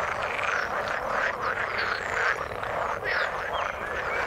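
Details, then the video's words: A thick chorus of frogs in water: many callers overlap in a continuous rattling croak, with short whistled chirps standing out here and there. "Frog sound in the water"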